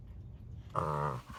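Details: Boxer dog making a funny vocal sound: a single low, harmonic, moaning grumble lasting about half a second, steady in pitch, after a quiet start with faint background hum.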